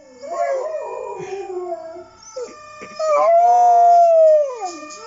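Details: Pet dog Georgie joins in with howls while watching dog videos online. Short wavering, sobbing howls come first and are broken by a brief pause, then a clear sustained howl swells, holds, and slides downward at the close.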